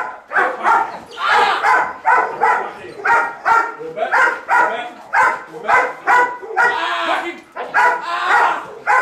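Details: Waya, a female Belgian Malinois in bite and grip training, barks on command to appear more intimidating instead of locking onto the threat; short harmonic barks repeat steadily about twice per second through the whole stretch.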